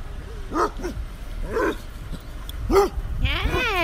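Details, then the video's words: Basset hounds on a basset hound farm greeting visitors: several short barks and bays spaced irregularly, ending in a long wavering howl-like bay, with faint voices in the background. "Welcoming committee on a basset hound farm"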